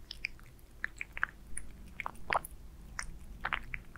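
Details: A cat named Aliska eats wet food with beef, producing close, sticky chewing smacks and clicks in quick clusters, a louder squelch near the middle, quiet room tone beneath.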